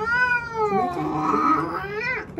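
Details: Indoors, the male house cat Burrito complains loudly during eye drops, giving a long, harmonic yowl that rises and falls over about two seconds, ending in a brief upward flick.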